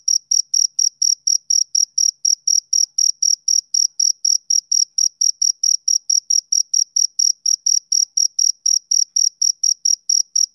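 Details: Steady, unbroken chirping from a male cricket, summer evening sound: a long even train of high, ringing pulses at roughly four per second, clean background throughout.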